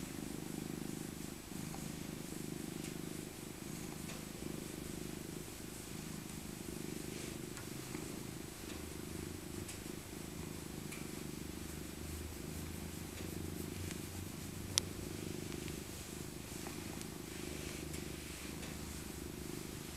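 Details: A senior female tabby cat, Maca, purring during a winter cuddle; a softer, even rumble running throughout, with a lower hum joining partway and occasional rustles and one sharp click.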